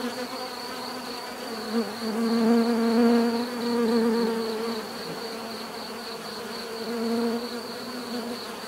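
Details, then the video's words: Bees buzzing naturally, a dense steady hum with a low droning tone that swells louder in the middle and fades, wavering slightly as individual insects pass closer. "bees therapy relaxing natural buzzing sound"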